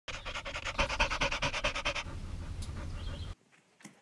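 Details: Pet dog panting: fast, rhythmic breathy huffs about twice a second for two seconds, then a steady low rumble before it cuts off.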